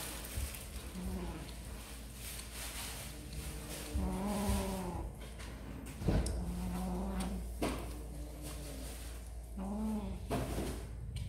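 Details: Snack-eating kittens let out four plaintive meows, spaced roughly every three seconds, each a steady, harmonic wail of about a second, amid clicking and chewing noises.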